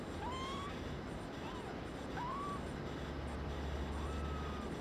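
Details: Brown tabby and white male kitten, born 27 February 2011, giving four short, thin meows about a second apart, each rising then leveling off, over a steady low hum.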